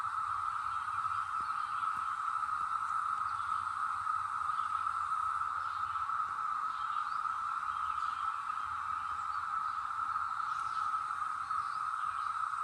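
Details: ['Brood X cicadas in the North Georgia mountains, 2021, seasonal emergence after 17 years underground; a steady, unbroken droning buzz holds at one pitch throughout, with faint higher chirps above.']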